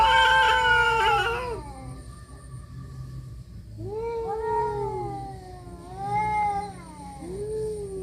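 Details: Cats fighting: a loud, harsh yowl opens, then drawn-out wavering wails rise and fall in long moans, repeating about every one and a half seconds, with a steady faint hum beneath.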